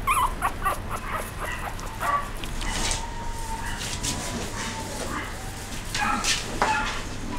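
A Chihuahua gives short, high yips and a thin whine, with some background noise.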